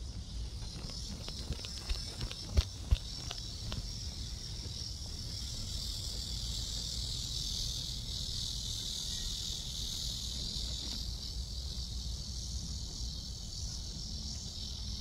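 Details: Cicadas at Seoul Innovation Park on 11 July, around 11 am, recorded during a walk: a steady, high, hissing drone holds throughout, over low rumbling background noise and a few sharp knocks near the start.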